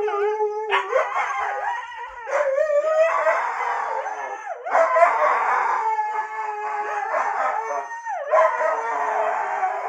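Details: Siberian Husky kept as a pet, vocalising back after hearing "no": repeated bursts of quavering, yodelling howls, each starting with a sharp rise then sliding and wobbling, separated by short breaths.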